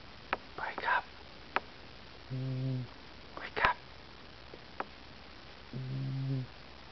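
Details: Sleeping house cat named Pooper recorded indoors on 16 June 2009, giving two low, humming snores several seconds apart while a person whispers and hisses "psst" to wake it.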